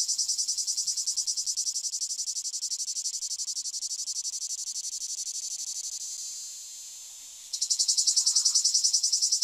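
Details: Singing male Lyristes plebejus cicada, recorded 9 July 2022 at Fondon, Andalucia, Spain. A loud, shrill, rapidly pulsing buzz runs continuously and softens slightly, then pauses and restarts louder with sharper pulses.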